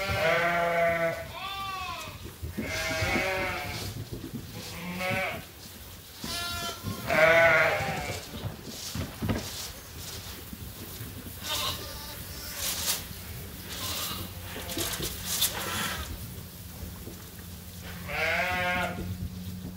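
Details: Farm sheep and lambs awaiting feed during daily chores at Ewetopia Farms in lambing season, bleating in several harmonic, wavering calls through the first half, with a low steady hum, scattered clatter and a final bleat near the end.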